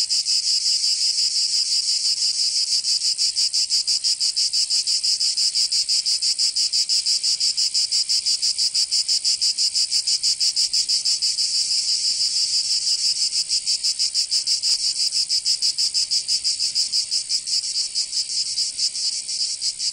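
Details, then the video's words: Summer cicada chorus from Provence in the south of France, a continuous harsh high-pitched buzz with fast, steady rhythmic throbbing throughout, slightly uneven toward the end; nothing else audible. "Canto Cigarra 🦗 [ Escuchar les cigarras en verano 10 H]"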